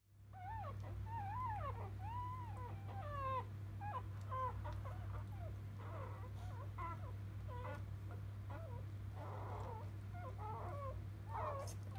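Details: Newborn field-line Labrador Retriever puppies just after birth, mother biscuit a 2017 JFA grand champion; many overlapping high squeaky whimpers and rising-falling squeals from several pups, over a steady low hum.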